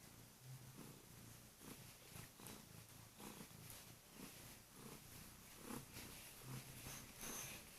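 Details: Kurilian Bobtail cat that waits at the bedroom door each morning, then jumps on the bed to rouse her owner by purring loudly and biting softly; steady low rumbling purr in regular breathing pulses, light bedding rustle.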